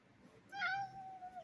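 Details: Domestic cat giving a single meow of about one second, a steady tone with stacked harmonics that starts strong and fades slightly toward the end, in a quiet room.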